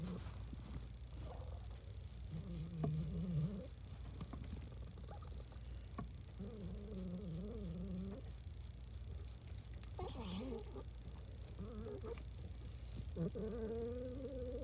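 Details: Domestic cat making happy noises indoors, a string of quavering mid-pitched trills and chirrups, some rising at the end, in short phrases separated by pauses, with a constant low hum beneath.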